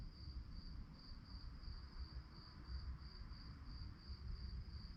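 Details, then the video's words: Night-time crickets give a high, shrill chirp pulsed about three times per second in a steady unbroken rhythm, set against a heavy low-pitched rumble. "relaxing sounds of crickets"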